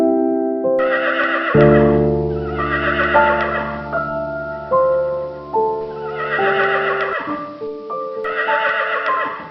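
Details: Horse neighing: several loud, rough, quavering whinny bursts of a second or more, separated by pauses, heard over steady melodic instrumental music with sustained tones throughout.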